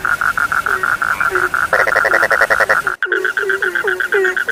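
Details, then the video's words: Several frogs call at once: steady high pulsed notes, a loud rattling burst near the middle, a brief dropout, then repeated low downward croaks against the ongoing trill. "The sound of frogs lulls sleep, 30 minutes you fall asleep soundly.( Suara katak Penghantar Tidur )"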